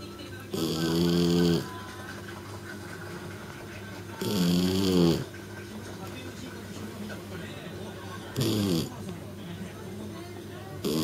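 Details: Shiratama, a three-month-old female kitten, snores as heavily as an old man: three loud, rasping breaths roughly four seconds apart, with a steady low hum between them.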